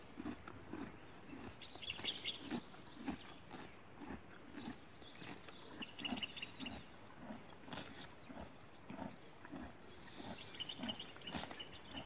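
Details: Horse eating grass outdoors: steady, muffled crunching and munching repeated roughly twice a second, while small birds chirp briefly now and then in the background.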